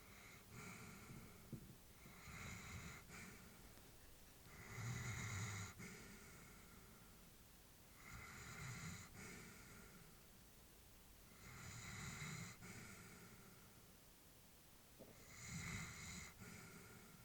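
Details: Sleeping elderly female Labrador breathes slowly and steadily indoors, each snuffly snore-like breath rising into a breathy hiss roughly every three to four seconds, with a faint hum between breaths.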